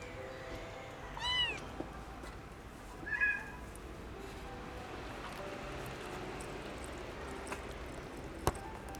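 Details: A hungry orphaned kitten, rescued from a car engine where it sheltered for warmth in cold weather, gives two high, arching meows a couple of seconds apart, asking for food.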